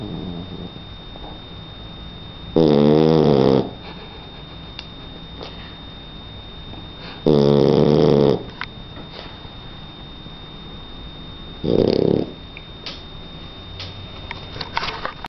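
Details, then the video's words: Three-month-old Shar Pei puppy Donna asleep and snoring, with three loud, throaty, buzzing snores spaced roughly four to five seconds apart, the last one shorter, and soft room noise between breaths. "Donna Shar pei de 3 meses roncando"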